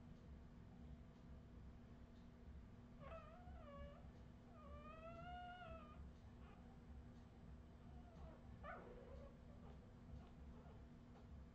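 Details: Australian Terrier puppies of the Redwing line, 2018, giving high, wavering whines: a short cry near three seconds, a longer rising-and-falling whine around five seconds, then a sharp yelp near nine seconds, over a steady low indoor hum.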